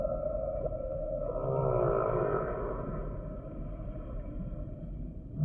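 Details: Humpback whale song sample: a wavering, harmonic-rich moan bends upward then falls over about two seconds, set against a steady low underwater rumble and hiss.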